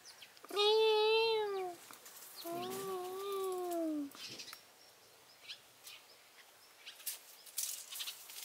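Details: A cat gives two drawn-out meows, the first arching then falling, the second longer and wavering, followed by several seconds of quiet with soft clicks and rustling.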